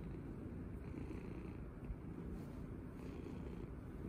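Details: Domestic cat purring loudly while being petted and cuddled indoors; a steady, deep, continuous rumble with no breaks, faint soft rustling above it.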